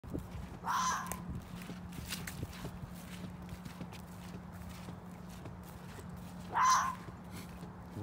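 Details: A vocal red fox caught in a trap gives two short, harsh, raspy cries several seconds apart over a steady low hum.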